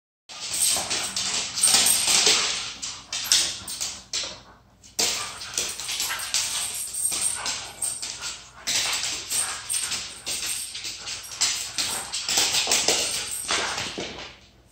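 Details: A Husky–Shih Tzu mix plays with a Siberian Husky, giving bursts of harsh, breathy grumbles and yips amid scuffling noise.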